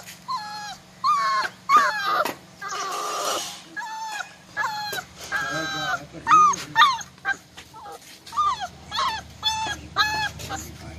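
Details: Golden Labrador Retriever puppy, male, aged 40 to 45 days, New Delhi: repeated high whining whimpers and short yips, often paired, about two per second, with a brief rustling noise burst near three seconds and a low steady hum.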